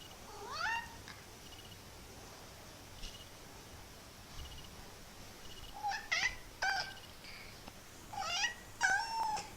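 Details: A kitten's weird, funny noises: short, chirpy, upward-sweeping mews scattered through the recording, becoming quicker and clustered in the second half, with soft background hiss and faint ticks.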